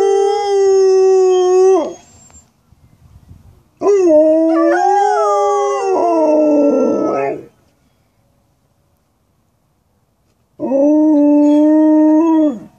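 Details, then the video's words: Two Alaskan Malamutes, cousins Roop and Amira, a large female and a smaller runt, howling at home. Loud, drawn-out tonal howls in three bouts of about two to four seconds, the middle one wavering with overlapping voices, with quiet gaps between. "Dogs howling ( Alaskan Malamutes)"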